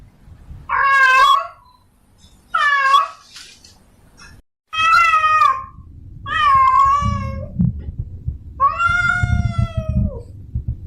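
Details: In-heat female domestic cat summoning a male: five loud, moaning meows at irregular gaps, the later ones longer and flatter, ending with a slow downward slide; low thuds and rustling sounds underneath.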